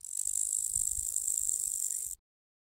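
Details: Grasshopper giving a continuous high, hissing buzz of rapid stridulation lasting about two seconds, then cutting off abruptly.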